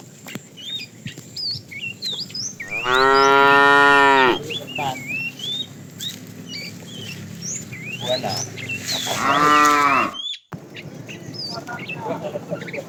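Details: Afternoon herding of a tame herd, with a fat cow calling the female: two strong, rich moos about six seconds apart, each a little over a second long, over constant chirping and twittering birds.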